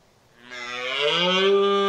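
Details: Red deer stag (Cervus elaphus) during the October rut, a highly aggressive male over 200 kg: one drawn-out, harmonic roar that swells from quiet to loud and rises slightly in pitch, lasting under two seconds.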